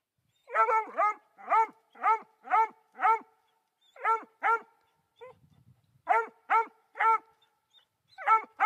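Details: Dazey, a three-month-old female Black and Tan coonhound, barks at a raccoon up a tree, the first she has ever seen. About a dozen sharp, ringing barks come in quick bursts with short gaps, and a man's voice is faintly heard.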